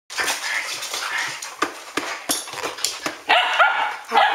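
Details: Standard Poodles, a group at midnight on 12 August 2014, giving scattered sharp barks and yips with a few whining, squealing notes near the end.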